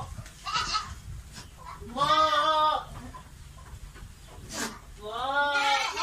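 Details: Goat in heat, calling to mate. Two wavering, nasal bleats, each under a second long and spaced about three seconds apart, with faint chatter and background noise between them.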